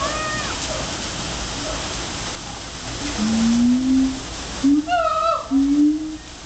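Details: Siamangs at Memphis Zoo, heard far away calling to each other, give low, rising whoops that swell in a series over a steady hiss.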